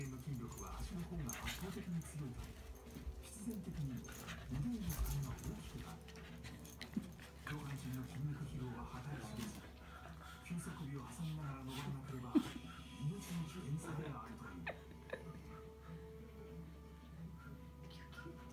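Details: Pembroke Welsh Corgi sisters Hina and Seri play-wrestling after dinner; low wavering growl-like whines and short yips continue throughout, with human voices talking over them indoors.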